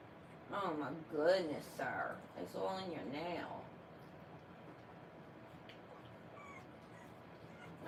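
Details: Three-week-old French Bulldog puppies, born 1/10/25: a cluster of quavering, wobbling whimpers in the first three and a half seconds, then near quiet with faint distant squeaks in a small indoor room.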